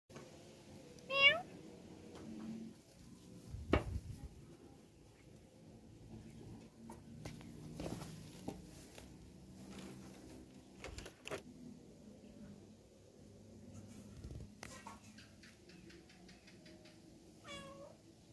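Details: Domestic cat, a mother moving her kittens into a cramped, dirty chicken coop: two loud meows, one near the start and one near the end, each sweeping up then down, with quiet rustling and low background noise between.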